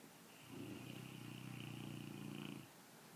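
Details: A dog asleep, jowls flapping, snores in one long vibrating breath of about two seconds: a low, buzzing rattle of quick pulses with a steady faint whistle riding above, in a quiet room.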